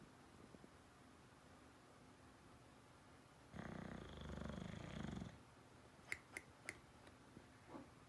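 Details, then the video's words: Bulldog snoring indoors: one long, low, rumbling snore breath lasting almost two seconds. It is followed by a few sharp clicking taps and a soft low hum. "Funniest snoring bulldog"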